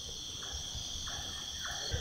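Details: Crickets trill steadily, high and shimmering without a break, with a few faint short bird notes and a low rumble, around a quiet resort at Turturi, a remote last village of North Bengal, West Bengal, near the Raidak river.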